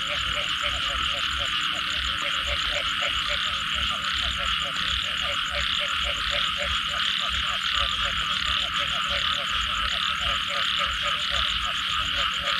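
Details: Frog chorus after rain: many frogs call together, with low pulsed croaks repeating steadily under a dense, continuous high trilling buzz and fast ticking pulse trains. The chorus is thick and unbroken throughout, with no other sounds standing out.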